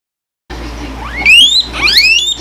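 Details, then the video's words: Guinea pig named Lily wheeking: loud whistled squeals sweeping upward, a long rising whistle followed by a second burst of overlapping rising whistles, with a low steady hum beneath. "Cute Guinea Pig Weeking!"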